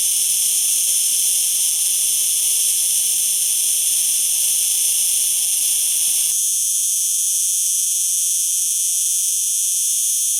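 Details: A cicada's loud, sustained metallic buzz, steady throughout; partway through the background below the song drops away, leaving the shrill tone even cleaner.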